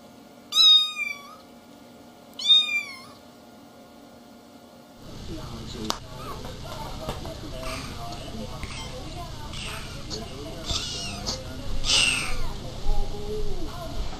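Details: Cat. A kitten gives two thin, high meows with bending pitch, each under a second long. Afterward a broad wash of noise, voices and faint squeaks takes over, masking any further calls.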